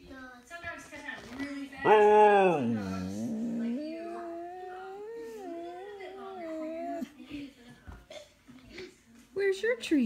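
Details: Husky singing indoors, its drawn-out wavering howls gliding up and down, mixed with human speech and background voices in a small room.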